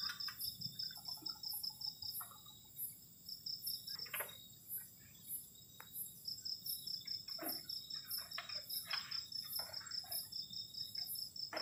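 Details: Crickets calling on a cold night around a garden shelter at a solo campsite: several steady, shrill high trills layered together, each pulsing rapidly, with scattered soft clicks and knocks from the camp.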